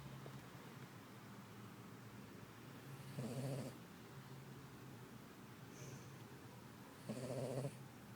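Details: Sleeping female Poodle, resting after a busy day on a small farm, gives two buzzy, rasping snores a few seconds apart over a quiet, low background hum.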